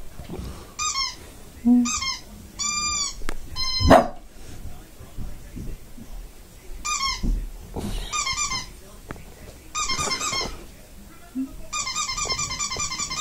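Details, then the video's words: Shih Tzu barking indoors: short, high, sharp yaps in separate bursts, then a faster run of barks near the end, with a woman talking softly between them. "My shih tzu barking"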